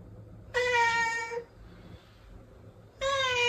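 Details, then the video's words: Domestic cat, one of two protected sister cats, gives two clear harmonic meows: a long, slightly falling one lasting almost a second, then a second meow starting after a pause of about one and a half seconds, over a quiet low hum. "2 minutes to be healed by the meow of a cat"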